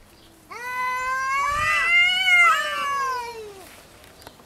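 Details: Cat caterwauling during a fight over territory: one continuous loud, harmonic-rich yowl lasting about three seconds, wavering and rising slightly in the middle before sliding down at the end.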